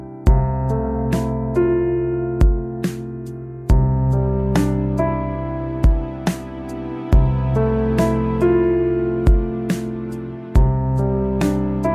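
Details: Full keyboard music with steady chords and rhythmic percussive hits throughout, with no animal sound.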